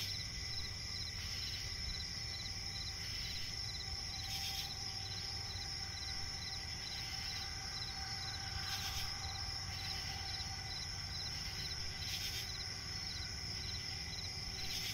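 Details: Crickets at night in a swampy forest: a steady high shimmering trill with short, evenly repeated chirps a little lower, occasional brief broadband rasping bursts, and a soft low rumble of night ambience beneath.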